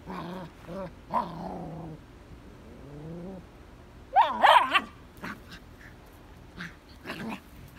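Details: Vizsla puppy confronting a red ball in his digging area: low wavering growl-whines at the start, a cluster of harsher, louder yelping barks in the middle, then scattered short barks against background noise.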